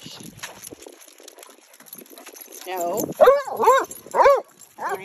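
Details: Two basset hounds, Winston and Graham, out on a neighborhood walk; after a stretch of quiet rustling, a run of loud arched howling bays repeats about every half second, with a person's voice nearby.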